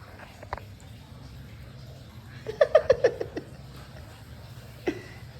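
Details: Three Shih Tzus together indoors for the first time, a newly arrived puppy with Sandy and Shasha; an isolated yap, then a rapid run of five sharp barks, and one last yap, amid a woman speaking.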